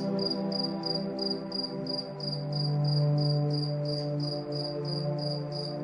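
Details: Crickets at night keep up rapid, regular high chirps, close to four a second, while relaxing music swells underneath with a deep held note.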